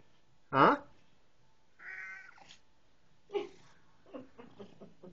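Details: Indoors, Buster the house cat vocalises while his owner returns home and talks to him: a sharp burst, a drawn-out meow, a short chirp, then a quick run of clipped little notes, mixed with the owner's voice.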